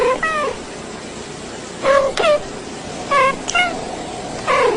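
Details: Domestic cat meowing indoors, four short clear meows spaced about a second apart, each with a bright rising-then-falling tone and harmonics, no other sounds.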